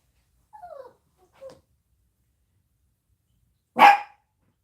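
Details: Household chihuahuas barking as their owner comes home, happy to see him; a few soft whiny sounds early on, then one loud sharp bark near the end in a quiet indoor room.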